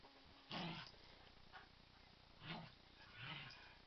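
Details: Pet dog growling playfully during a game of "kill the duvet" with another dog; three separate low rumbling growl bursts, each under half a second, spaced about a second apart in a quiet room.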